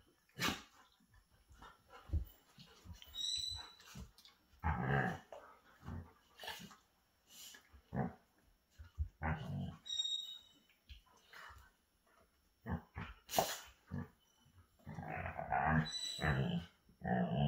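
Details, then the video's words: Alaskan Malamutes wrestling in play: a long, busy stretch of low rumbling growls, snorts and short gruff barks, broken by brief high whiny squeals and scuffling, with the loudness rising and falling constantly. "Malamute wrasslin"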